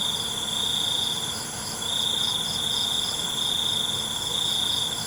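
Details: Crickets at night producing an almost unbroken high trill, pausing only briefly near the two-second mark, with softer pulsed chirps overhead against a constant hiss.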